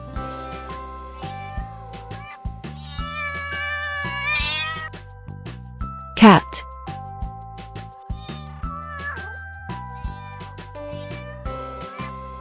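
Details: Cat meowing: a drawn-out, wavering meow around three to four seconds in, then a shorter falling meow near nine seconds, set against children's background music with a brief loud noise burst between them.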